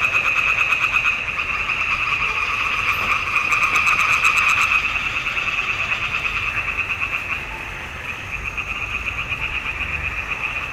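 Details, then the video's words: A dense chorus of frogs in a marsh pond in June 2021: rapid, rattling croaks overlapping into a steady, buzzing wall of sound. "Il canto delle rane in palude. Nikon D780."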